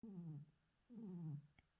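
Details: A tiger gives two short, low moaning calls, each sliding downward in pitch.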